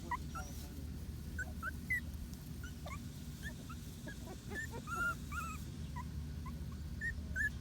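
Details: Patterdale Terrier puppies from a litter of six, whining and yipping in scattered high squeaky notes, some rising, some falling, several overlapping, with a constant low droning background.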